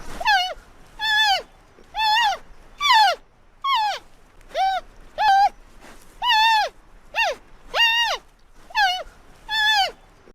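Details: A giant panda gives soft, squeaky, bleating calls about once a second, likened to baby mice squeaking; pandas use different sounds for different meanings.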